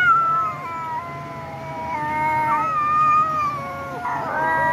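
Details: Domestic cat giving long, drawn-out wavering meows that hold a steady pitch, then bend and drop, followed by a short rising cry near the end over a faint low hum.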